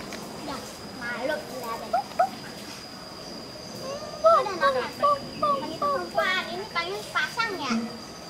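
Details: A pair of adult siamang gibbons at the Schmutzer Primate Center sings a duet that advertises their territory. A fast run of short rising and falling notes builds in the second half, about two or three each second.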